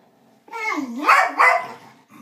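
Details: Two dogs, Psyche and Harvey, make strange noises at each other indoors: one drawn-out wavering yowl that dips, then climbs into two strained, rising-and-falling cries lasting about a second and a half.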